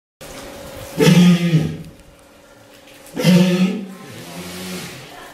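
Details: Tanpopo, a captive walrus at Ise Sea Paradise aquarium, sulking before feeding and begging staff for the water hose she sucks while waiting. Two loud, low, moaning calls with rich overtones, about two seconds apart. Running water in the background.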